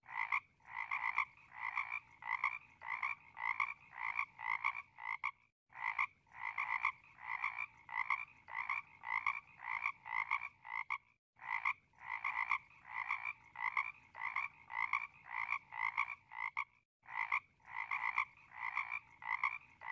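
A frog croaks in a steady run of harsh, nasal notes, about three each second.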